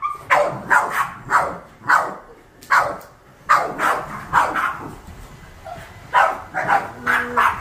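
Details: Boston Terriers, seven kept together as house pets, bark at household vacuuming. Loud single barks repeat at an uneven pace, with a short pause mid-way and a faint tonal whine near the end.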